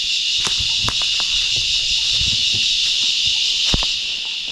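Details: Cicada, known locally as rahaiya, singing in the surroundings on the Lakegala hike in Meemure, Sri Lanka: a loud, unbroken high buzzing drone, with footsteps, scattered clicks and a few voices from the hiking group.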